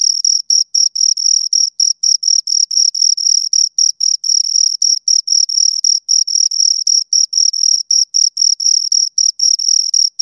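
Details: Two crickets chirping close to the microphone: a steady run of short, high-pitched chirps, about four per second, each with a faint higher overtone, with no other sounds.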